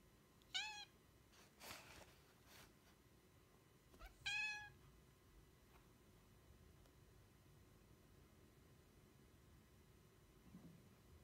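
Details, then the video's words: Devon Rex cat indoors meowing to seek attention: two short, bright, harmonic meows about three and a half seconds apart, with a few soft knocks and thumps between them in a quiet room. "Devon Rex seeking attention"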